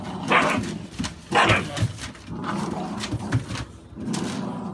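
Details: American Staffordshire Bully barks from a breeder's dogs and puppies born 16 November 2017: short, punchy barks in bursts about a second apart, with low muffled thumps and some faint background voice between them.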